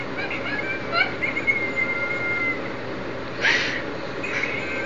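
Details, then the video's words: Crying from Lola the French bulldog, a long, thin whistled whine held steady for over a second, then a short rising squeak and a soft snuffle. "Lola the French Bulldog Crying!"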